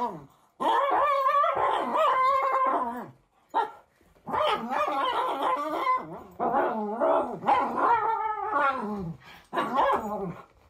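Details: Male Cavalier King Charles Spaniel playing tug with a hedgehog toy, making funny shouting noises as it is pulled away; bursts of yodelling whines and grumbly growls, rising and falling in pitch, with short pauses between outbursts.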